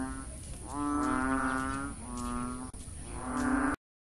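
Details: Frogs found just before 9 am along the main axis of Sun Yat-sen University, Guangzhou, giving funny noises: three long, low, droning, moo-like calls rich in overtones, each lasting about a second, separated by brief pauses.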